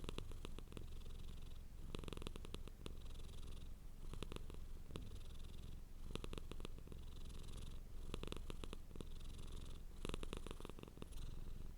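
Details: Cat purring continuously with a low, even rumble that never stops, overlaid by repeated bursts of crisp rustling clicks roughly every two seconds.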